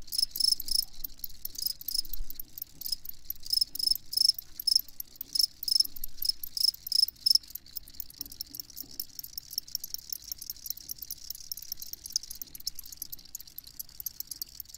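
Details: Crickets calling with dense, high, evenly pulsed chirps. The chirps are strongest in the first half and thin to quieter, sparser pulses later, over a light hiss.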